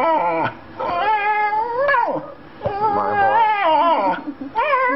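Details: Pet Australian Shepherd, a female, crying for her boy indoors: a series of drawn-out, bending whines and yodel-like cries, broken by brief gaps and a few sharp pitch drops.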